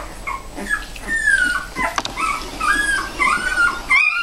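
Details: Bella, a mother dog, with her puppies. Thin, high whimpers waver and dip in drawn-out tones, with soft whines between them. One sharp rising squeal comes near the end.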